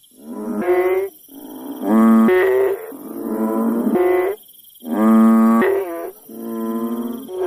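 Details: Village frog chorus: overlapping, bleating, harmonic honks lasting roughly a second each, one caller after another with brief gaps, backed by a thin continuous high buzz of insects.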